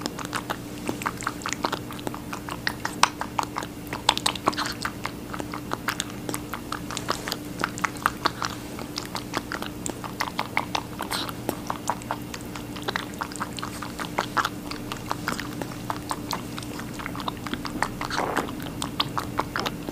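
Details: Rabbit eating a watermelon indoors: a long run of fast, crisp chewing clicks, several per second, with brief pauses and moist crunchy bites, over a faint constant hum.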